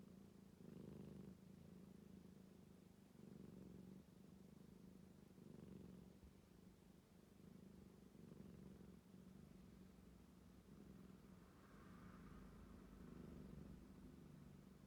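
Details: Calico rescue cat relaxing indoors with a snore-like purr. Quiet, deep rumble that pulses in breath-like waves about every two seconds, with no other sounds.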